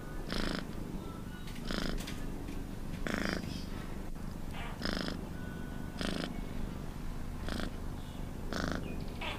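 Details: Cat purr, low and unbroken, with a hissing breath-like swell recurring about every 1.3 seconds.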